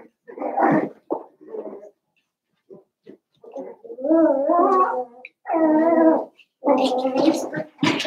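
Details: Seven-week-old Cavalier King Charles Spaniel puppies from Daisy's litter in an indoor home puppy pen: drawn-out, wavering whimpers with a rich harmonic tone, several long whines in a row broken by short grunts and squeaks.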